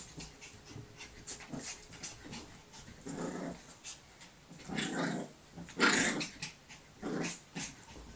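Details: A 7-week-old male Staffordshire Bull Terrier puppy gives short, rough, breathy growls in bursts while chasing and tugging with his mother during energetic play.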